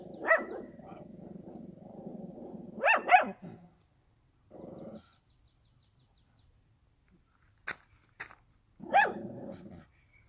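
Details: Rural dog letting out sharp barks, a quick double bark and a later single bark, with brief clicking sounds like footsteps on gravel in between.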